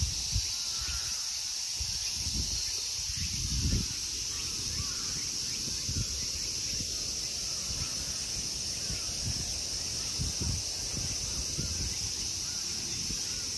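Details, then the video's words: Summer insects fill the temple grounds of Ikegami Honmonji, Tokyo, Japan, with a continuous high, shimmering buzz. Low thumps, rustling and faint voices sit beneath the unbroken drone. "Summer insect sounds."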